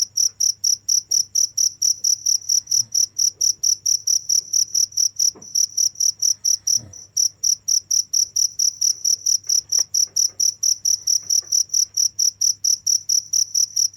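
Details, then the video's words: Continuous cricket chirping, loud high-pitched pulses repeated steadily about twice a second per beat pair, unbroken except one brief dip near seven seconds, with a low hum beneath. "the sound of crickets"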